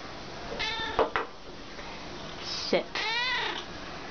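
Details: Domestic cats being trained to sit for their dinner; two separate drawn-out meows, each rising then dipping, broken by sharp clicks and taps, with a person giving sit commands.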